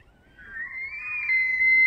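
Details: Bugle of a bull elk in rut, Banff, Alberta, in September: a short rising whistle climbing into a thin, high, steady tone that grows louder to the end.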